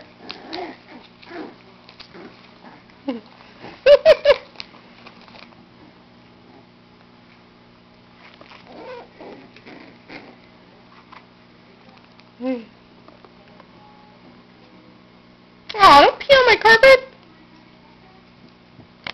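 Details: Dachshund puppies playing with their father give high squeaky yips and whines, with sudden loud barking bursts; low-quality recording.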